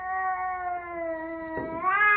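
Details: Cat blocking its owner on a staircase lets out a sustained, even, low moaning yowl that rises and brightens at the end, close and loud in a small indoor space; a man's voice breaks in briefly.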